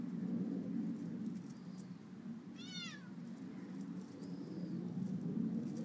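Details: Amber, a playful and clumsy Bengal kitten, at a patio table. She gives a single short, high meow near the middle that slides downward in pitch. A low steady rumble of background noise runs throughout.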